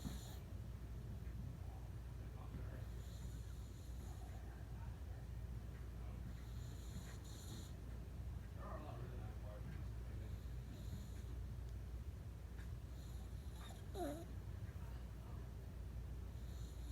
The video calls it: Boston Terrier Snoring